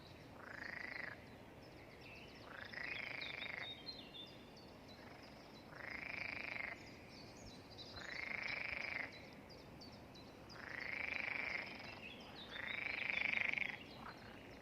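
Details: Frogs come out during light rain to call in a chorus filling a pond, loud rasping croaks repeating roughly every two seconds, with people talking.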